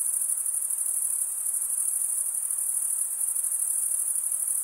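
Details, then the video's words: Crickets stridulating in a constant, piercing high trill, finely pulsed and unchanging over the few seconds, with no other animals or background noises. "Most relaxing cricket sound"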